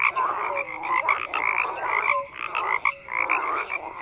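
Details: Loud group of frogs croaking, bursts of harsh pulsed calls and higher clipped notes overlapping, the chorus briefly thinning before surging back.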